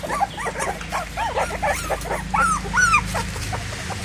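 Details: Indian Pariah puppies crying around their stray mother at feeding; a run of quick curling whines, a few sharper rising squeals near the end, low droning hum throughout.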